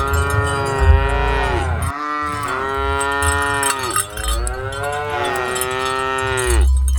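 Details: Cattle mooing while a herd of dozens is driven along, a near-continuous run of three long, rich harmonic moos, each rising then sagging, over steady low clanking bells.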